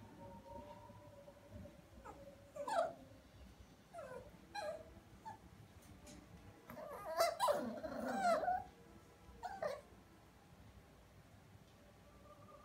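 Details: Havanese dog, a small toy breed, giving a scattered series of short, soft yips and whimpers, some rising then falling, spaced irregularly over several seconds; a faint steady hum runs underneath.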